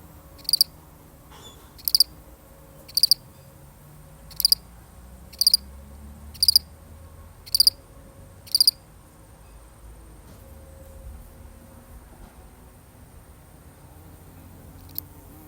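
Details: Lone cricket, real recording: eight crisp high chirps of a few quick pulses each, roughly one per second, then the chirping stops and only soft low hum and a last faint chirp remain.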